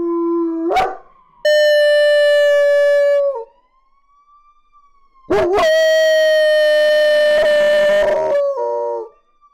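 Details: A German Shepherd puppy howls in response to a police car siren: two long, level notes, each lasting a couple of seconds and ending in a wavering drop, with the faint siren rising and falling between them.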